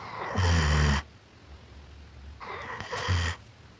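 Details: German Shepherd dog asleep and snoring, two loud rough snores with a deep low rumble, each lasting under a second and spaced roughly two seconds apart in a quiet room.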